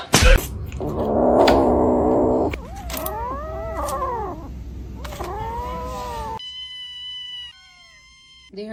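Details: Cat giving a run of arching, wavering meows after a burst of rustling noise, followed by steady tonal music, with some human speech.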